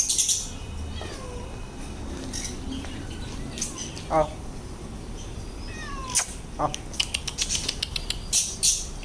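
A Bengal cat gives several short, thin meows, some sliding downward, among light clattering noises.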